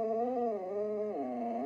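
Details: Siberian Husky in a tantrum over being ordered off a chair indoors: a loud, wavering howl that dips in pitch, holds low, then swoops up near the end.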